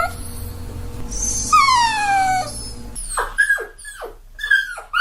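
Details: Puppy crying over a steady background hum: a long, falling whine, then three short rising-and-falling whimpers.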